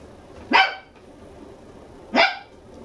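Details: Two-month-old red male Toy Poodle puppy, born December 11, lively, kept indoors in a home-style puppy house in Machiya, Arakawa, Tokyo; two short, sharp, high-pitched yelping barks about one and a half seconds apart in a quiet room.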